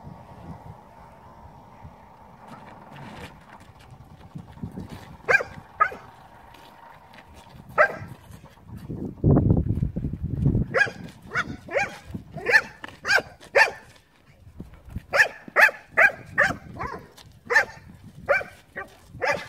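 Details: Leonberger dog named Aslan barking while playing, in a run of short, sharp barks that come in quick, uneven bursts over the second half, after a quieter start with a low steady hum and scattered thuds.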